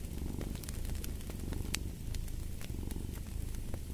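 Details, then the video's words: Low, throbbing purr of a cat next to an open fire, a dense rumble with rhythmic pulsing, overlaid by loud snapping crackles of burning wood. "Fall asleep to the Purring of a Cat & Fireplace"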